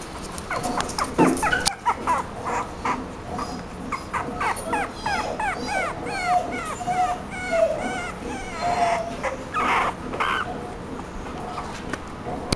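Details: Chihuahua giving rapid high-pitched whimpers and squeaky yips, many short sliding notes overlapping over a steady low background hum.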